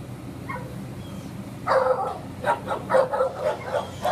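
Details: Bulldog up for adoption giving a run of short, rough barks and yips in quick succession after a quiet start, with a person speaking softly nearby.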